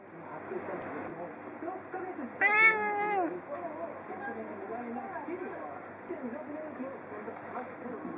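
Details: A sleepy female domestic cat dozing at a window while watching birds gives one drawn-out, harmonic-rich meow of under a second, against a steady noisy background with faint chirps or voices.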